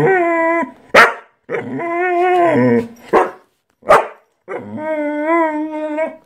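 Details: Pet dog seeking attention from its owner, vocalising as if making conversation: drawn-out, whining, howl-like tones that waver in pitch, broken by three short, sharp bark bursts, indoors.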